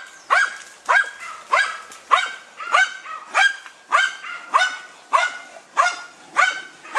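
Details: Deutscher Jagdterrier named Dunja hunting wild boar, giving sharp high barks in a steady series, about eleven in seven seconds, each with a bright harmonic stack and falling tail.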